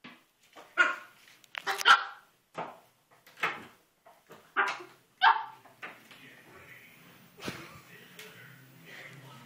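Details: Five-month-old Pomeranian Melo attacking a carpet in a small room. It gives a run of short, bright yaps spaced roughly a second apart, then fades into low rustling and background noise.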